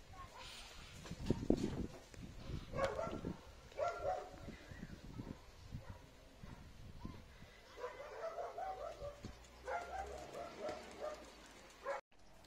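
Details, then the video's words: Bored German Shepherd Enzo barking to demand attention when nobody plays with him: loud, deep barks and yelps at irregular intervals through the stretch, with softer whining sounds between and a brief spoken word at the end. "GSD Demanding Attention Because He's Being Bored"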